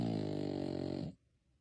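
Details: Sleeping puppy snoring indoors: a single long, low, buzzy harmonic breath lasting about a second, then quiet.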